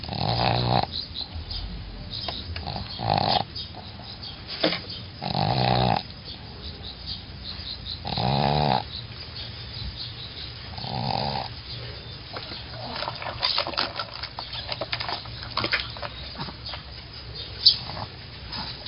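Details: Sleeping dog snoring in loud, rasping, broadband breaths that recur roughly every two and a half to three seconds, strongest in the first twelve seconds, then fading into softer, irregular breathing noises indoors.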